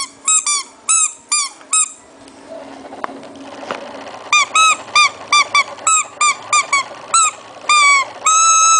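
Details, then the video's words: Shih Tzu puppy making a strange noise indoors: short, high, arched squeaks with a rising-then-falling pitch, a burst of four, a pause, then about ten more in uneven bursts over a faint room hum. "puppy shih tzu kawneaw strange noise"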